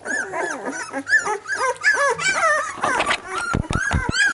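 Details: Labrador Retriever puppies whimper and squeal in high, arching whines that overlap one another.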